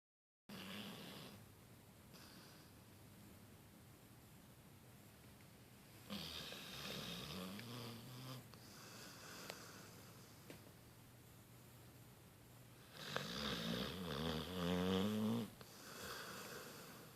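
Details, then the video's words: A Beagle Bloodhound napping snores in slow, rasping, breathy cycles with a low rumbling undertone; Beagle Bloodhound. "Beagle Bloodhound Snoring"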